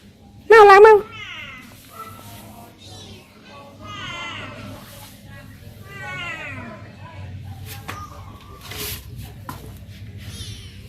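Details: Pet cats indoors during play with a woman: one loud, clear, tonal meow, slightly wavering, lasting about half a second near the start, followed by steady Khmer speech and faint background sounds.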